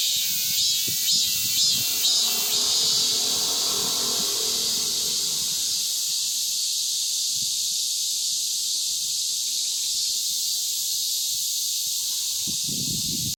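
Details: After the monsoon rains, cicadas drone powerfully in a constant sizzling high buzz. Faint low knocks and rustles come at the start and close.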